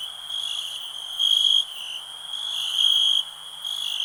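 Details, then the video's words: A continuous high, thin cricket trill that swells into louder pulsed bursts lasting about half a second, then drops back to a softer steady drone. "Nature sounds, cricket relax"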